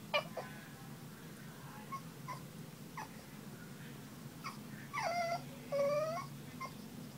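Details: Boston Terrier talking to its owner about wanting to play: scattered short yips, then two drawn-out whines that slide down and level off, over a steady low hum.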